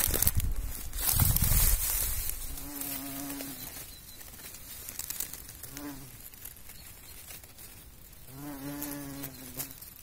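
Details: Bumblebee among pollinating insects, low droning buzz around flowers, rising and fading in three bursts of a second or so as it moves, with a louder rustling knock near the start.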